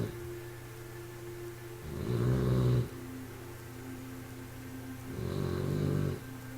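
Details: A 3-month-old bulldog puppy snores, each deep, rattling breath arriving about every three seconds.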